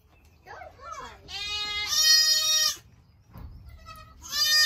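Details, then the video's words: Young goats in kidding season 2022: a few soft, wavering calls lead into a long, high, trembling bleat lasting over a second, a brief quiet, then another sharp bleat begins; faint speech underneath. "So many LOUD baby goats!"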